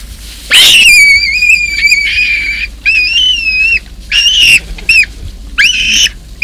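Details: Baboon troop in Kruger National Park, where a huge male protects his troop from an intruder baboon. Loud, high, drawn-out screaming calls with strong harmonics come in repeated bursts, some wavering and some cut short, over a quiet background.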